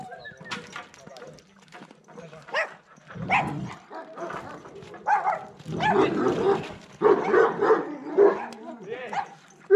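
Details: Bucovina Shepherd Dog at Paltinu, Romania, giving a run of short, harsh barks that grow louder and closer together toward the end, with human voices talking throughout.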